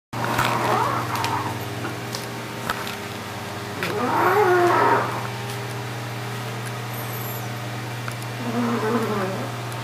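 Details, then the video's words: A sleeping Yorkshire Terrier snores: three drawn-out, groaning breaths with nasal, whining overtones, spaced about four seconds apart, over a steady low electrical hum. "約克夏 睡覺打呼"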